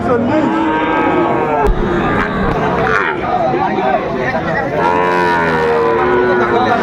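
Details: Sahiwal bull calves for sale at the start of market day, Aftabganj cattle market, Dinajpur, 2 September 2025. Drawn-out, harmonic moos, one near the start and another toward the end, over steady crowd chatter and bargaining voices.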